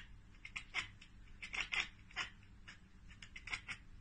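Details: Pet cat making its chattering ekekeke at unreachable prey, a bird or insect: quick, clipped clicks and chirps repeated in tight clusters across four seconds.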